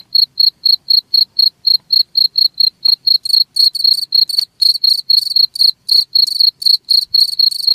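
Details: Cricket chirping, a recording meant to be played to keep rats away: steady, bright, high chirps about four per second, joined after three seconds by denser, overlapping pulses from a second chirping layer, with an otherwise quiet background.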